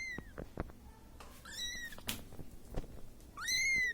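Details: A young Siamese cat left alone cries out for its mother with thin, high meows. A short call opens, an arched meow follows midway, and a loud, sustained wail closes. Faint taps and rustles sound between them.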